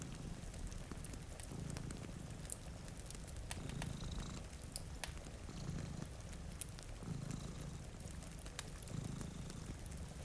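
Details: Two domestic cats sleeping in front of a rainy window beside a fire, purring steadily. Low rumbling purr swells with each breath, roughly every two seconds, under soft rain patter and sharp fireplace crackles.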